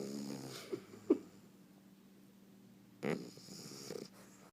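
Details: Bulldog puppy snoring loudly while asleep: a raspy, rumbling snore breath lasting about a second, a quiet pause, then a second harsh snore starting around three seconds in.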